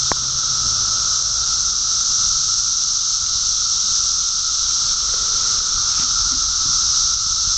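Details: Mass emergence of periodical cicadas, the 17-year brood, swarming Park Ridge, Illinois: a relentless, even wall of shrill buzzing from countless insects, unchanging throughout, with a second lower whine beneath and a faint knock at the outset.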